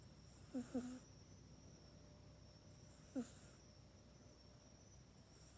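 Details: House cat named Mac asleep in its cat bed at night, snoring softly, recorded with an iPhone 8. Short wheezy snore bursts, some doubled, recur every two to three seconds against a faint steady hum.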